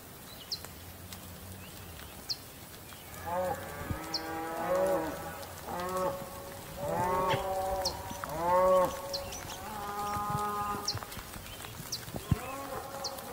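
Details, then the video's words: Bull bellowing in a run of overlapping, loud, harmonic moos. The moos are short and wavering, some rising and falling, and come roughly every second. Scattered high bird chirps sound in the background. "Le cri du taureau, son de taureau"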